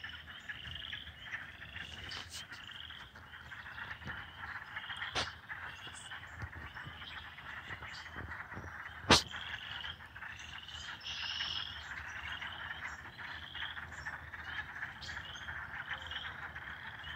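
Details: Frogs calling at night from a pond on a Michigan property in springtime, March 25, 2020: a dense chorus of short repeated chirping trills overlapping steadily, with a few sharp clicks and faint low background rumble.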